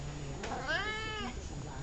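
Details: Indoor meow from Columbus, the talkative cat: one loud, drawn-out call lasting about half a second, arching up and down in pitch, with low murmured speech around it.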